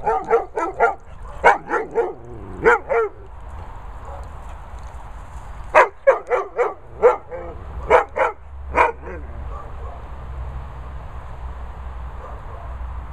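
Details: Cocker Murphy, after dunking his head under water, tells off Pointer Gizmo for shouting at him. Sharp, loud barks come in quick clusters, with a quiet gap around four seconds and a further run of barks near eight seconds. A low rumble continues underneath.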